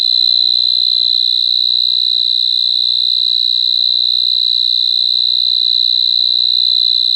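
A cricket trills steadily, a high, even, pulsing ring that never pauses.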